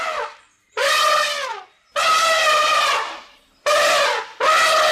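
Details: African savanna elephant trumpeting: four loud, brassy blasts, each rich in stacked harmonics, the longer ones held about a second and bending slightly downward at the end, separated by short silent gaps.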